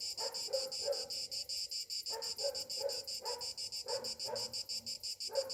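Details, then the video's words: Summer-morning cicada chorus, a shrill high-pitched drone throbbing in regular quick pulses, overlaid by repeated lower rough bursts in clusters throughout. "Morning summer cicadas sounds"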